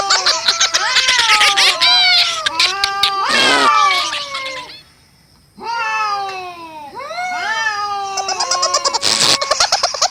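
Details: Fighting cats give a dense run of wavering, arched yowls layered over each other, broken by harsh broadband hisses or scuffles, with a brief near-silent gap midway before the wailing resumes.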